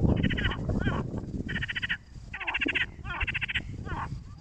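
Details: Frogs calling near a lake in Tosunlu, Ardanuç, Artvin, Türkiye: bursts of nasal, rattling, pulsed croaks, each about half a second long, repeated roughly once a second, over a steady low rumble of background noise.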